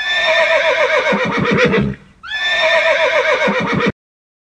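A horse neighs twice, a loud shaky whinny that wavers rapidly in pitch before breaking off.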